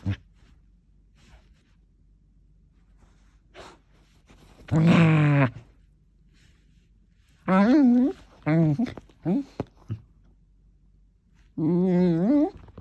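An Aussiedoodle gives drawn-out, wavering moans and grumbles, rising and falling like a dog trying to talk.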